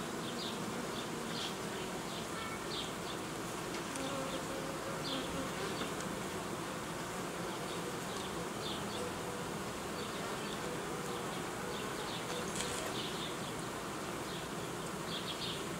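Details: Many honey bees humming at an apiary where colonies are joined and old queens replaced with young ones; an even, unbroken buzzing drone with occasional nearer fly-by buzzes.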